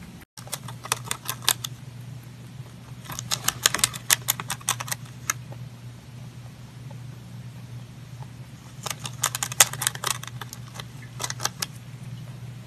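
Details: Pontan, a pet rabbit, eating: bursts of sharp crunching bites in three clusters separated by quiet pauses, a steady low hum running under everything.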